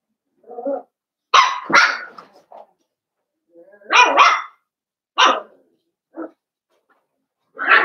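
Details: Blenheim Cavalier King Charles Spaniel puppies, part of a litter of five raised at Red Barn Cavaliers. Sharp, high puppy barks come singly or in pairs roughly every second, with short silences between them.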